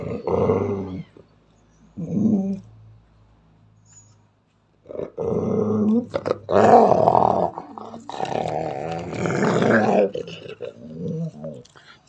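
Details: A female Belgian Malinois, unprovoked, growls fiercely at a German Shepherd lying calmly three meters away, with deep, rumbling growls that swell into harsh, snarling bursts.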